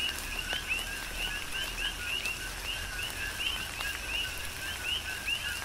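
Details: A chorus of coqui frogs during a tropical rain shower, Big Island, Hawaii: repeated rising two-note calls from several frogs, steady rain hiss and heavier drops beneath.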